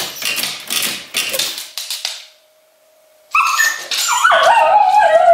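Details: English Cocker Spaniel in Berlin, left alone at home, her separation anxiety worsened after over a month of lockdown togetherness; harsh bark-like bursts, then a steady held tone, then loud, high, wavering whines sliding up and down.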